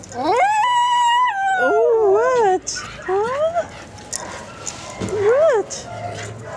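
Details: Bella, a Miniature Schnauzer available for adoption, gives loud drawn-out howling whines. The long tones waver, rise and fall, then break into shorter slurred calls separated by brief pauses, with faint human voices in the background.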